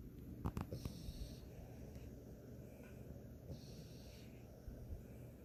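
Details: French Bulldog snoring indoors: rough, low snorting bursts cluster in the first second, then softer wheezy breaths with brief nasal snorts around three and four and a half seconds, over a steady low room hum.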